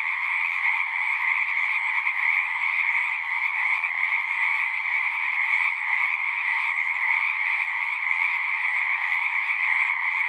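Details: Dense chorus of frogs singing, an unending layered trilling in the mid and upper range, evenly loud, with faint low rustles beneath.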